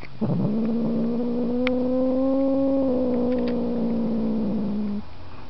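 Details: A single long yowl from Markus the house cat, starting with a rough onset, then holding a smooth, slightly rising then falling tone for about five seconds.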